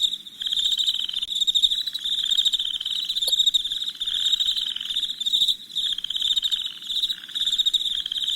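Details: Chirping of crickets after dark: a steady piercing trill of rapid pulses runs throughout, over lower pulsed bursts that stop for a few seconds and then return.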